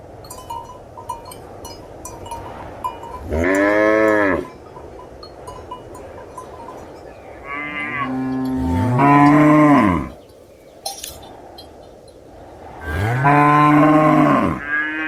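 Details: Cow mooing in three long, arching, harmonic-rich calls, each one to two seconds long, spaced several seconds apart. A steady tonal hum and faint clicking, bell-like ticks run underneath.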